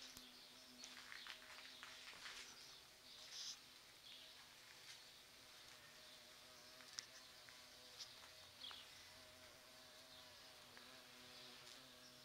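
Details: Large bumblebees visiting sete capotes (Campomanesia guazumifolia) flowers, which open each year around mid-November and smell like roses. A low, steady humming drone holds throughout, with a few sharper high clicks and rustles.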